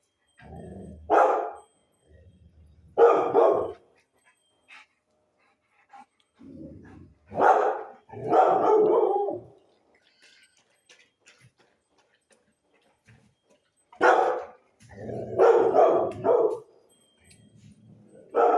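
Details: Family pet dog barking at home, excited by goat herders nearby hitting a tree with a tapping sound; loud broad barks in pairs and short bursts at about 1, 3, 7.5, 8.5, 14 and 15.5 seconds, with softer barks and quiet gaps between.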